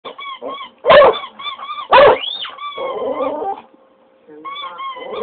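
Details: English Cocker Spaniel howling in response to a squeaky toy: loud harsh yelping bursts, then a drawn-out wavering howl that rises and falls, with short high squeaks from the toy repeating between the dog's cries.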